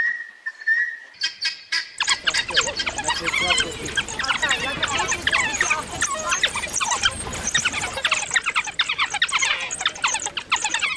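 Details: Endangered African wild dogs in a sociable pack with youngsters, making excitable sounds while showing energetic affection that strengthens their bonds; a short whistled note opens, then a dense burst of high squeaky chirps and squeals pours out overlapping without pause.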